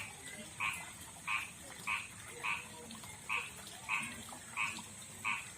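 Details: Male frog from a backyard pond and river, rougher-skinned than rice-field frogs, calling a female: short double-toned croaks repeated steadily about every 0.65 seconds, with faint background hiss.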